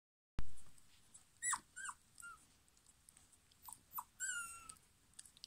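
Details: German Pinscher puppies from a 2022 litter: a handful of short, high whimpers and squeaky whines, some sliding up then down, scattered over about five seconds with quiet pauses between.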